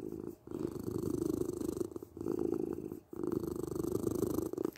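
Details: A domestic cat's close, strong purr, a continuous buzzing rumble broken by short pauses about every second as the breath turns.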